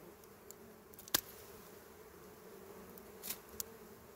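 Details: Swarm hum from small wild honey bees nesting among dry berry twigs during a honey harvest: an even, continuous drone with a loud sharp snap and a few softer taps.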